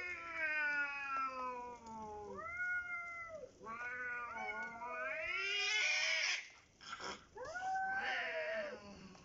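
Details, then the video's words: Cats in a dominance standoff, not running off though people stand an arm's length away: long drawn, wavering yowls rising and falling in pitch, several overlapping howls with brief pauses, ending in a harsher, louder wail. "Cats dominating while I'm cooking"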